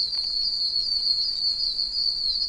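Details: Oak toads, many tiny one-inch toads calling from puddles in a wet wilderness area, deafeningly loud: a dense, steady high-pitched chorus of overlapping chirps forming a continuous shrill whine with no clear gaps.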